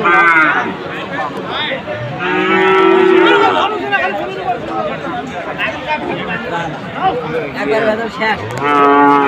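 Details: At a Khulna cattle sale in Bangladesh on 7 January, Sahiwal bull calves low repeatedly: a brief moo, then a longer one, and another near the end, over continuous crowd chatter.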